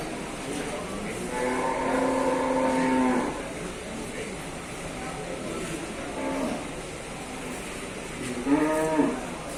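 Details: Group of wild water buffalo being taken to Sibreh market, Aceh Besar: a long, deep, harmonic bellow of about two seconds, a fainter short low call midway, then a brief rising bawl near the end over crowd noise.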